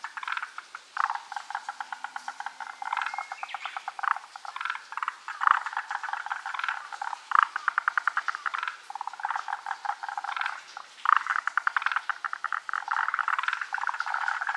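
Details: Large chorus of forest green tree frogs, not in view: nearly continuous overlapping trains of rapid rattling pulses from many callers, swelling and fading throughout.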